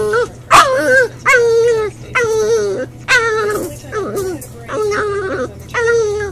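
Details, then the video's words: Boxer puppy crying in a crate, upset when left alone during crate training: drawn-out whimpering whines, each held level then sliding down, with a sharp yelp near the start and short pauses between cries. "Hugo Boxer Puppy in his Crate crying"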